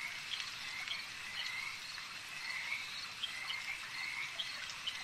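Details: A lakeside frog chorus of wavering trills that rise and fall in pitch. Short sharp clicks are scattered through it, repeating about every half second over a constant high hiss.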